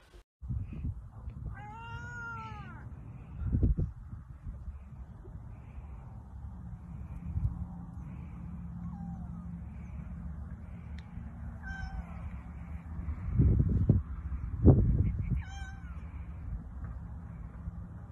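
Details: Turkish Angora cats: a loud, drawn-out harmonic meow early on, then scattered shorter, softer mews and a few rising calls later, over steady low rumbling and occasional thumps of handling.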